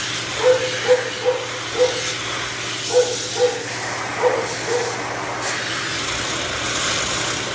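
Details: Male Shih Tzu, always matted and intolerant of discomfort, being blow-dried after de-matting and prone to biting from pain; short, clipped whimpering yelps in uneven bursts of two or three, over the constant roaring hiss of a dryer.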